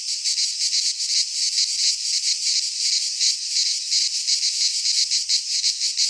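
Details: Chorus of cicadas in a pine forest in Greece during midsummer, a steady high shrill buzz with fast rhythmic pulsing that never breaks, filling the upper range without other animals or noise.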